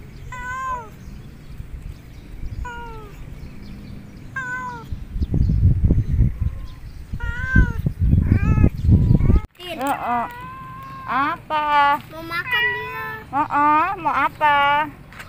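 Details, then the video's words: Hungry, lonely domestic cat meowing very loudly. Short meows repeat every second or two while a person speaks Indonesian nearby. A rapid burst of insistent rising-falling meows follows, closely spaced, louder and more urgent toward the end. "KUCING YANG KESEPIAN DAN LAPAR MEONG DENGAN SANGAT KERAS"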